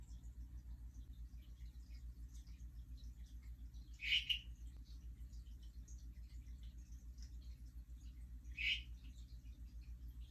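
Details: Non-breeding calls of Hourglass or Harlequin tree frogs (Dendropsophus ebraccatus), recorded a day after a mating event, possibly establishing territories: two brief, sharp chirps about four seconds apart against a constant low mechanical hum.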